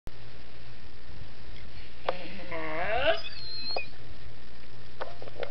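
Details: Great Dane yawning with a tongue curl, voicing a drawn-out, wavering whine-groan that rises and bends mid-yawn, over a steady low hum, with a few soft clicks afterward.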